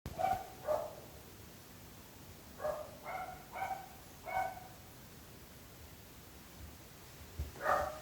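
A dog barks in short, sharp bursts, spaced irregularly, over a faint background hiss.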